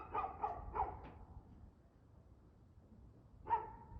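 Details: A dog barks on the evening of 2/6/2024 at 6:02pm: three or four fast barks in a tight run, a pause of quiet, then one last louder bark.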